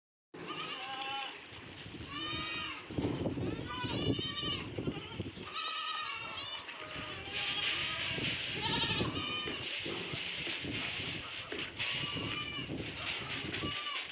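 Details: Osmanabadi goats bleating on a goat farm at Karjat, Ahmednagar; many overlapping wavering, nasal bleats from several animals, with human speech in the background throughout.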